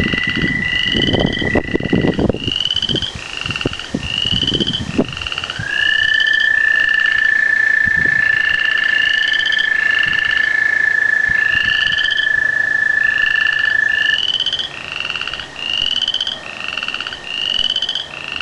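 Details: Frogs and tree frogs chorus before a rain: short, bright chirping notes repeated steadily over a long, even, high trill.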